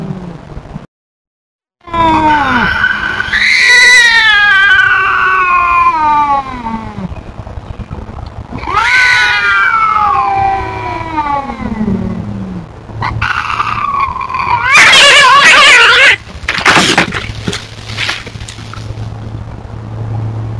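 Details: Tubs, a feral cat, telling off an intruding cat: long drawn-out wavering yowls that rise then slowly fall, one from about 2 to 7 seconds and another near 9 to 12, followed by harsher broadband hissing or spitting bursts near the end.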